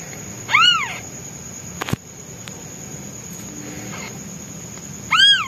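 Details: Newborn white kitten, hungry and crying for his mother while she hunts: two loud, sharply arched meows about four and a half seconds apart, separated by a quiet stretch with a brief knock.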